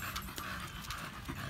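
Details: Samson, an American Bully, pants while exercising at a gym: short hoarse breath bursts in a brisk regular rhythm against a low indoor rumble.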